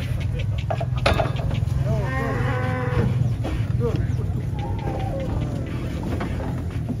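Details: Giant cattle at Jelok market being unloaded from trucks; a long, low harmonic moo swells and falls over about two seconds, followed by a shorter, higher bellow, with crowd chatter, background music and engine rumble beneath.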